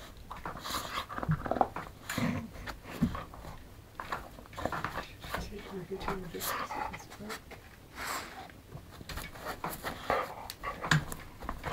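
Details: Lolly, a female English Springer Spaniel, hunting indoors for her ball, panting in quick breathy bursts, about 74 a minute, while a person's voice repeatedly urges her to find it.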